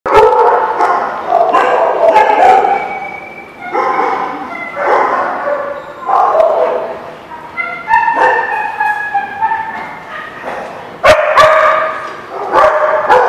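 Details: Several dogs barking together, with loud overlapping harmonic barks in quick, irregular bursts that run throughout and some sharper yips mixed in.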